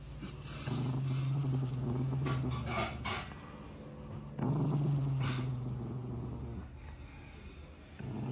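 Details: Angry Chihuahua growling low and steady in two long rumbling bouts, each lasting about two to three seconds, with a softer trailing rumble afterwards and faint background hiss.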